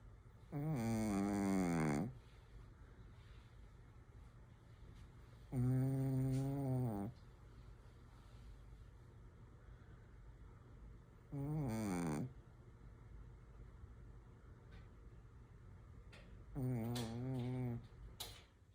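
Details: Sleeping Shih Tzu snores steadily, four long raspy, buzzy breaths with rich overtones and a gently wavering pitch, spaced roughly five seconds apart, quiet indoor background between snores.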